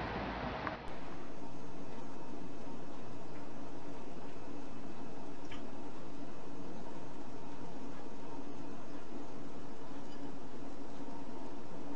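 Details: Indoor hiss and low rumble after a brief louder start, with no animal voice audible.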